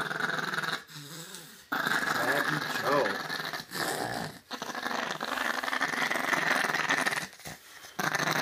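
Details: Chihuahua, male pet, growling while being dried off indoors: long rough sustained growls broken by short pauses, with a man's voice talking over parts of it.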